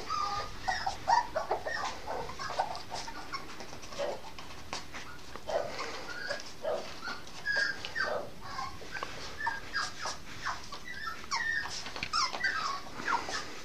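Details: Norfolk Terrier puppy, a bitch aged 8.5 weeks, filmed 5 May 2015, uttering soft scattered whimpers and squeaks among rustling and handling noises, the cries fairly faint against the background.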